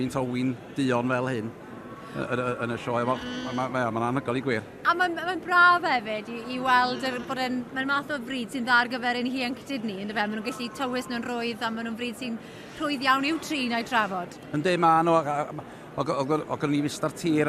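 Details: Welsh Black sheep at a show, a chorus of bleats: wavering, harmonic calls overlapping almost continuously, several animals calling at once in quick succession, with a man's voice faintly in the background.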